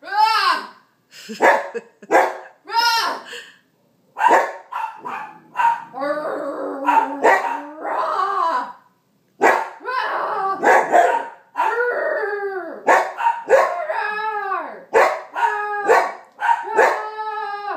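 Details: Sasquatch, a Bernedoodle puppy, gives a run of high yaps that stretch into drawn-out, wavering howl-like yowls in the middle, then return to quick barks; a person's voice mixes in.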